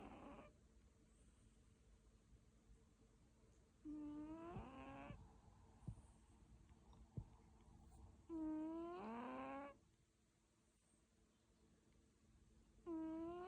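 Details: Sleeping British Shorthair cats snoring; quiet, tonal, wavering snores lasting about a second each, recurring roughly every four to five seconds with near silence between.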